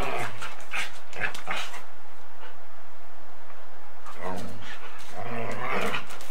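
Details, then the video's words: Bitey-face play between a Golden Retriever and a Samoyed, filmed on 8mm tape: a cluster of rough growling whines, a quiet pause, then another burst of harmonic growls, all under tape hiss. "Golden Retriever and Samoyed play Bitey Face and run after each other"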